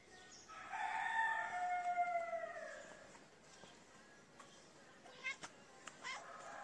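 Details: Hungry kitten crying for food while its mother is near: a long harmonic meow, level then falling, lasting about two seconds, followed by quieter rustling and clicks.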